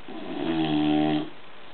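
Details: Gordo, a pet bulldog, snores in his sleep: a single low, buzzy, droning snore lasting about a second, which swells and then fades into a quiet background.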